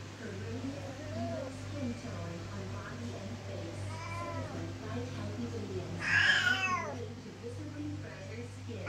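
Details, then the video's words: Loud Siamese cat meowing because it wants to go out of the room: one strong, drawn-out rising-then-falling meow near the end, preceded by fainter, shorter wavering cries, over a steady low electrical hum. "My loud siamese cat wants to go out of the room"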